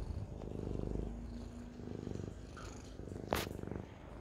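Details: Siamese cat purring in a soft continuous rumble, a brief higher click-like noise near the end.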